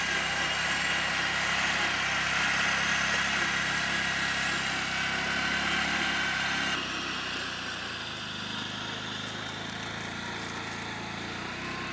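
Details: Steady broadband engine-like rumble and hiss fills the recording, dropping in level partway through, with no animal sound heard.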